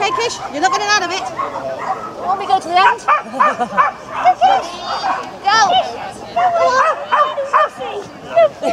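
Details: Japanese Spitz at an agility event, Spitz in the Park, held between Tewkesbury and Evesham on 18–19 July 2015; a run of short, sharp barks and yips repeats through the middle, with people talking steadily throughout.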